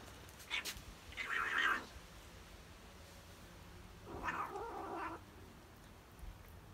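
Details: Tabby cat enjoying cheese makes two harsh, breathy vocal bursts about three seconds apart, each near a second long, with quiet gaps between them.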